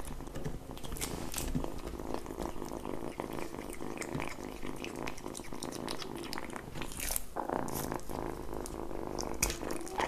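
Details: Kitten eating at close range, a continuous layered purr-like drone running through the whole stretch while dense biting and chewing clicks crackle over it, recorded in a small room.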